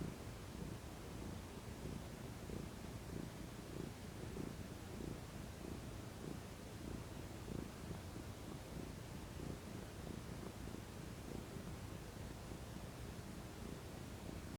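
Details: Domestic cat, female, purring while relaxing in the sun: a steady low rumbling purr with rapid pulsing throughout, no other clear sounds.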